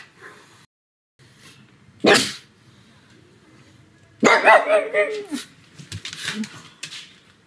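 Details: Sebastian, a pet pug, barking at home on a sunny afternoon; one sharp bark, then a longer run of yelping, howl-like barks sliding downward, with faint voices in the background.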